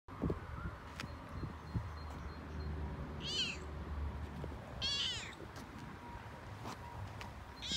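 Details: Toyger cat, a male, talking excitedly while out on a walk, which he loves; a few short high harmonic meows around mid-clip against a steady outdoor rumble with scattered clicks.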